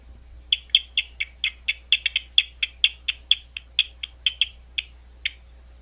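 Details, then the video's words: Bats calling at Gwynne Conservation Area outside London, Ohio, a site owned and maintained by Ohio State University. A run of about twenty short, sharp chirping pulses over five seconds, spaced unevenly, with a faint low hum underneath. "Bat Calls at Gwynne Conservation Area"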